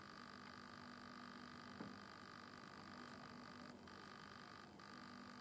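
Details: Italian tree cricket stridulating at night in a butterfly bush, lit by a red lamp; an even, unbroken trill hums on, cut by two brief pauses, over steady background hiss.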